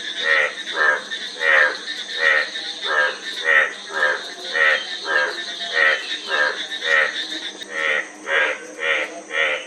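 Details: Repeated grating croaks from a frog, quick pulsed notes coming in a fairly regular beat and speeding slightly toward the end, over a light background hiss.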